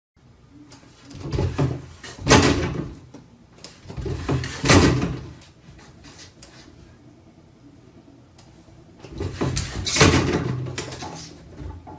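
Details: Bursts of cupboard or drawer banging and rattling echo through a small room, with faint voices and no animal sounds.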